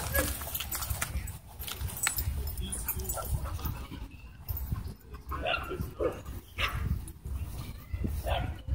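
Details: Doberman and Belgian Malinois in a dogfight at a dog park, with an e-collar correction. Sharp, scattered bark and yelp bursts cut through people talking, over a steady low wind rumble.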